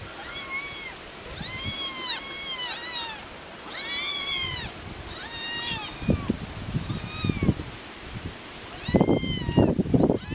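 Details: Hungry farm kittens with their mother outdoors on a windy day: thin, high, rising-falling meows repeated in quick succession over wind rumble, with handling or footstep noise toward the end.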